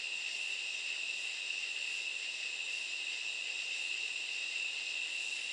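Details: Nighttime katydid chorus: a continuous, sizzling high-pitched whine, with faint regular beats about once a second underneath.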